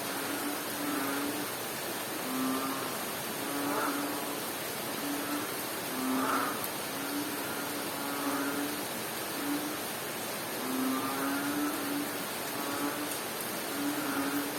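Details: A frog calls during rain in Bohol, Philippines: short, low, steady hooting notes, each under a second long, repeat about once a second for the whole stretch beneath a dense, even hiss of rainfall.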